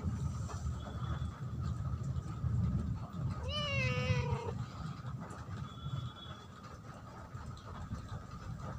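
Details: Cat producing one clear, drawn-out meow that rises then falls and trails off, set against a constant deep rumbling background.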